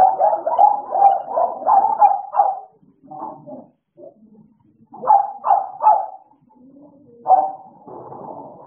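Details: Two American Bullies, Idol and Alice, barking in play: a fast burst of barks, a quieter gap with soft low sounds, then more barks in short clusters.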